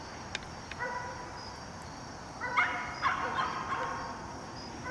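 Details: Maci, a seven-month-old German Shepherd, during dog training in Raleigh Durham: a few short, high, tonal whines bunched after a quiet start, some sliding slightly, over steady background hiss.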